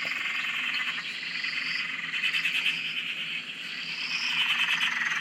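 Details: Dense frog chorus at an Australian dam, continuous shrill trilling overlaid by slow rising whistle-like notes, with no other sounds standing out.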